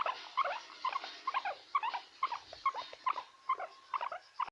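A guinea pig makes short, rolling 'krrr' bursts, repeated two or three times a second.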